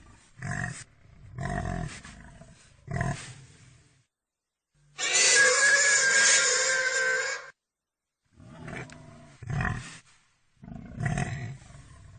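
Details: Pig producing a series of low, snorting grunts, broken by a long, loud squeal lasting over two seconds, then more short grunts.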